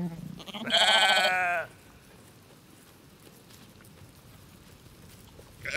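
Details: {'text': 'One strong, quavering baa from a farm sheep, lasting about a second, then steady low background noise until a new sound begins right at the end.'}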